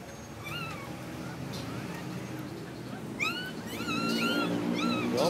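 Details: Siberian Husky named Heather in labor, giving birth: high, thin squeaky whines that bend up and down, in quick clustered bursts that grow busier toward the end, over steady people talking nearby.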